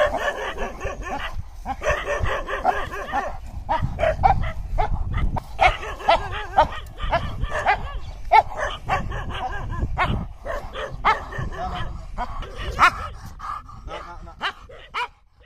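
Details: Aggressive American Bully barking in rapid, harsh bursts, dense and repeated throughout, mixed with yips and background noise.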